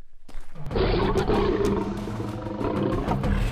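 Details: Two male lions fight in the African savanna, a dominant male defending his lionesses and territory against a solitary intruder male, giving harsh, rasping roars and snarls in a dense, unceasing rumbling growl.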